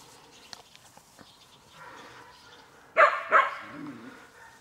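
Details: Ten-week-old Collie puppies of the X litter from the Prignitzerflur kennel in a large outdoor run. Soft scuffling and faint noises, then two sharp, high barks in quick succession, followed by lower, fading whines.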